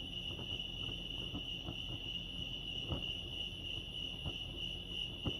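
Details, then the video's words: Crickets at Lake Arrowhead in California give an unbroken, shimmering high trill of rapid pulses, accompanied by sporadic soft taps and low ambient rumble. "crickets chirping lake arrowhead"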